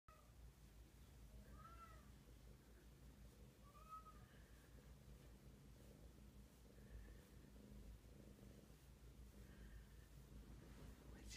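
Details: Big kitten purring: a steady, low continuous rumble throughout, quiet and close, with a few soft higher chirping sounds drifting over it every couple of seconds.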